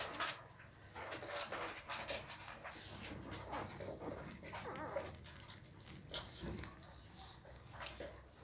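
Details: Week-old newborn Pit Bull puppies make soft breathy, panting-like sounds mixed with scattered short whining squeaks, one sharper high peep standing out near the end, above a faint low background hum.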